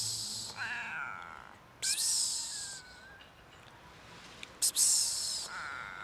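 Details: Stray domestic cat, a huge fluffy friendly female, hungry and cold on a winter street. A few drawn-out, tonal meows, some rising and some falling, with short pauses between them and faint background hiss.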